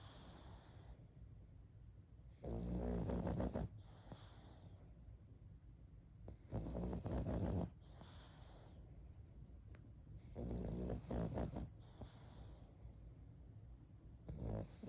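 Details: Sleeping pug snoring in loud rhythmic bursts of low rasping breath, each lasting about a second, with quieter breathing between them.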